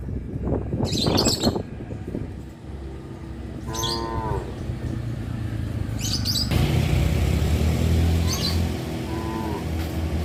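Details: Cows on a traditional village farm near a highway, one short wavering moo midway and a fainter call near the end, under continuous engine rumble and some faint chirps.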